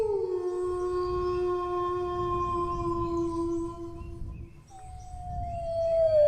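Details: Long sustained dog howl held on a steady pitch for about four seconds after a short downward slide, then a fresh howl gliding slowly downward, over a low rumbling background.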